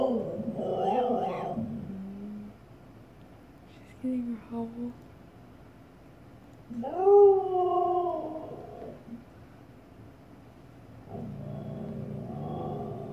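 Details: Female Siberian Husky confronting her own reflection in a home fireplace, giving short, wavering, talk-like woos separated by pauses, one rising then falling in the middle, with quiet human speech in the room.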